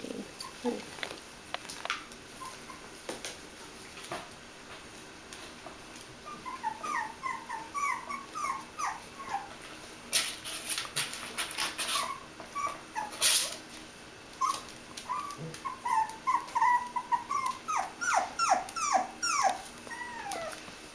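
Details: Five Bichon Frisé puppies, five weeks and two days old, at a kennel in Vejle, Denmark. They give high, thin rising squeaks and whines in scattered bursts, thickening into a rapid chorus of overlapping whimpers in the second half, with faint clicks and rustling.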